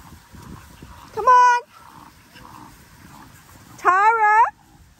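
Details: Linc, an Australian cattle dog puppy, plays with bigger puppies in a paddock. Two high, tonal yelping barks bend upward and then fall, about two and a half seconds apart, over a quiet outdoor background.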